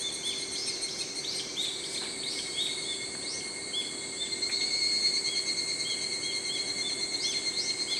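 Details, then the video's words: Higurashi (evening cicada) chirping, a sound of early morning and evening: fast series of high, clipped ringing notes, nearly three per second and swelling midway, against constant high-pitched insect hum. "ヒグラシの鳴き声 /Chirping of the Higurashi ( Evening cicada )"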